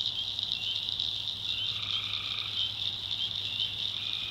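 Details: At night in a North Carolina backwoods swamp, tree frogs keep up a dense, shrill, pulsing trill, with one longer lower steady note partway through and a faint low hum beneath.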